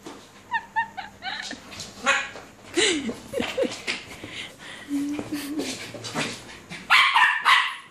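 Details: A six-month-old Alaskan Malamute puppy named Luna playing, giving a busy run of high yips, short whining squeals and rasping barks at an uneven, rapid pace, ending in a louder cluster of barks.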